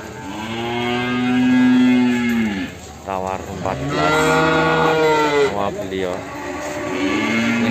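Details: Limousin calf from Ambarketawang, Sleman, recorded in the morning amid price bargaining: two long, deep moos, each drawn out about two seconds and slightly falling at the end, with background music and men talking.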